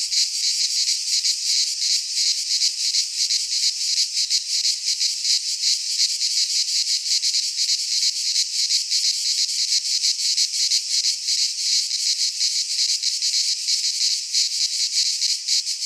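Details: Cicadas singing in midsummer in a Greek pine forest: a dense, continuous high buzzing with fast, slightly uneven pulsing throughout, no other sounds.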